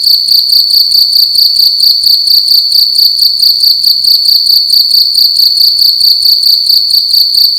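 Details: A loud cricket in a room at night gives a sharp, high trilling chirp, pulsed rapidly and steadily at roughly two beats per second.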